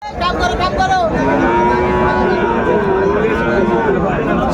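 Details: Friesian and crossbred bull calves for sale at Raniganj cattle market, Dinajpur, Bangladesh, on a Thursday, 24 April 2025. Long, steady, drawn-out lowing runs through the middle, with men talking and crowd bustle throughout.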